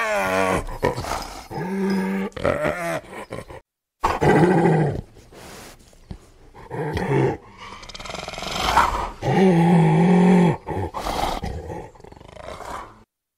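A spotted hyena laughs in quick, wavering bursts of pitched, hiccuping notes. Between them come rough growls and longer, steady, low groaning calls, separated by short silences.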